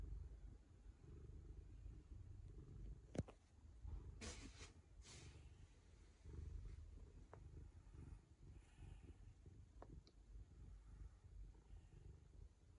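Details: Ragamuffin cat licking a young girl as a sign of affection indoors; a steady low rumbling purr runs throughout, broken by a few sharp clicks and brief rustling bursts near the start.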